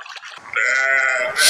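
A sheep gives one steady, slightly quavering bleat lasting under a second, ending in a brief burst of hiss.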